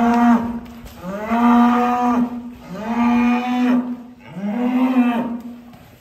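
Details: Large fattened cattle leaving its pen, lowing in three long, steady moos. Each rises briefly, then holds level for over a second, with short pauses between calls and faint background noise.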